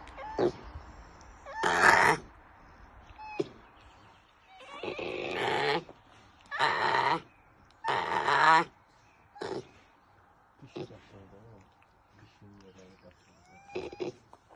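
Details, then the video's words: Bear cub held by poachers gives loud, harsh, broadband bawling cries in about six bursts, each roughly a second long, separated by pauses, with thin short whistled notes in between. "браконьеры медвежонок"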